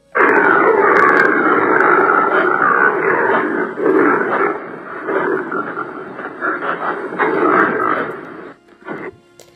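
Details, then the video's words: Impala on the African savanna giving a very guttural, lion-like call: a dense rasping roar of snorts and grunts running almost continuously for eight seconds, then fading into quieter clicks. "Ouais, alors l'impala, c'est très très guttural aussi."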